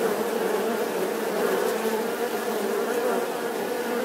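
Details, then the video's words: Short stretch of dense bee buzzing, an even, unwavering drone with rich harmonics filling the whole four seconds. "The sound and picture of the Bee"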